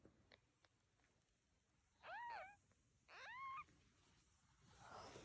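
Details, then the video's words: Cats and kittens: two short, quiet meows, the second slightly longer and rising, faint clicks earlier and a soft rush of noise at the end. "Cat And Kittens Meowing"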